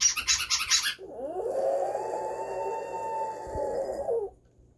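A brief burst of scratchy, clattering noise comes first. Then a toy poodle lets out a sustained, thin howl that climbs at the start, holds a level pitch for about three seconds, and breaks off.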